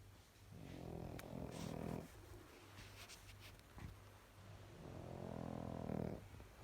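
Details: A sleeping female Pekingese snores in deep, rasping breaths, each drawn-out snore coming about four seconds apart.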